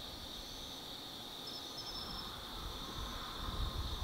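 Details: Evening insect chorus in autumn at Tsukimi no Mori, Kaizu City, Gifu, Japan: an even high-pitched drone broken by a quick rattling trill midway, backed by a rising low rumble of distant vehicles.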